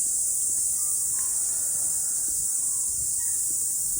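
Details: Cicadas singing on a mountain after rain during a morning hike: a dense, steady, high-pitched shrill hiss that holds without a break, with a few faint short bird chirps behind it.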